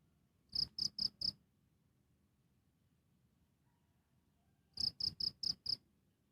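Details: Cricket recorded close up, two short bursts of four and then five sharp high chirps, separated by about three and a half seconds of stillness and soft low hiss.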